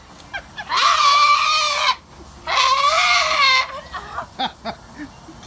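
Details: Goat screaming while getting a bath: two loud, harsh, wavering bleating screams of about a second each, with a short gap between, followed by splashing and handling noises.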